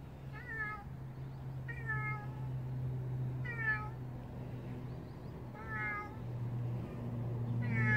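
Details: Stray cat gives five short harmonic meows, spaced about one and a half to two seconds apart, over a steady low droning hum.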